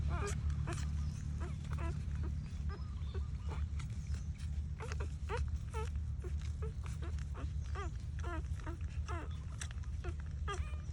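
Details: Dog that has just given birth, heard as a dense run of short rising squeaks, several per second and fairly steady across the whole stretch, over a constant low rumble with occasional faint voices.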